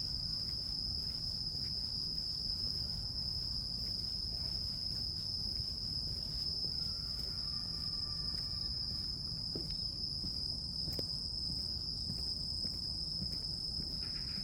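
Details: An unbroken high trill from crickets and other grass insects rings steadily throughout, over a low background rumble. A fainter, slightly lower tone appears briefly midway, along with scattered clicks.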